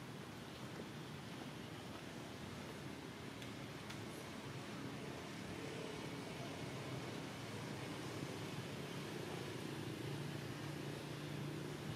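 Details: Continuous broadband rushing noise like traffic or surf, with faint murmured speech and no clear animal call.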